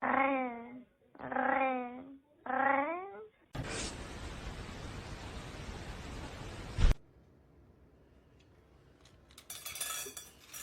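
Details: Domestic cat in a funny cat compilation giving three drawn-out, wavering meows about a second apart, followed by a loud burst of broadband noise and then quiet room sounds.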